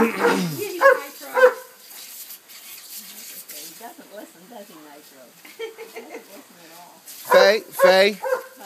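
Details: Soaked and excited, Remy the dog runs between sprinkler heads, barking loudly at the start and again near the end. A person talks and laughs through the middle, and spraying water is audible.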